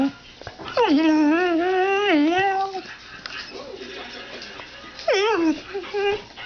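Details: Trained pet dog indoors producing a "mom"-like vocalisation: a sustained, warbling whine of nearly two seconds, then a shorter falling yelp-whine, with softer murmurs and the owner's voice nearby.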